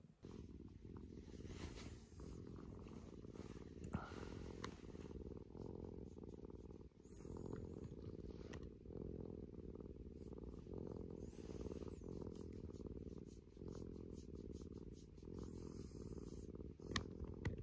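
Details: Rescued house cat Maro, head cat of a home with other rescued cats, purring steadily and affectionately after moving into its own upstairs room; a continuous low rumbling purr with rhythmic pulses, faint rustling indoors.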